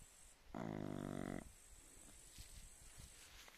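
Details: Sleeping Chow Chow producing a single low, vibrating snore lasting under a second, its rough fluttering tone rising clearly above faint background hiss and a few soft ticks afterward.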